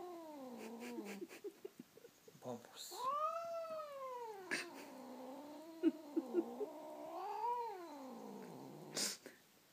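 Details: Male cat answering to its name with a run of long, wavering, melodic meows, rising and falling like singing, with a few clicks and thumps in between.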